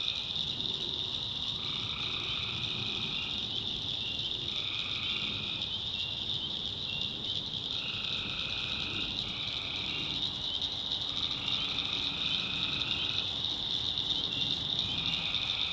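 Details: Swamp at night in the North Carolina backwoods, where tree frogs keep up an unbroken high ringing chorus. Lower trills lasting about a second or two repeat every few seconds through the whole stretch.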